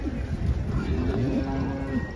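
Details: Big cattle with long curled horns coming off a truck, described as the aggressive type; a steady, drawn-out low moo in the second half, with engine rumble and voices behind it.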